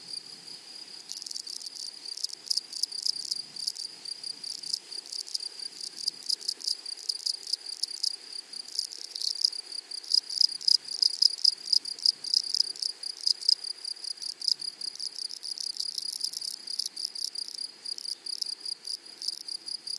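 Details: Loud shrill insect song from grasshoppers in flowery prairie meadows, a high-pitched buzzing trill broken into rapid irregular pulses and bursts, sometimes merging into a sustained whine, with no other clear sounds.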